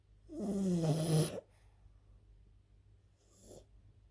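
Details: Elsa, a sleeping French bulldog, lets out one long, raspy snore with a moaning tone, then a soft short breath after a quiet pause.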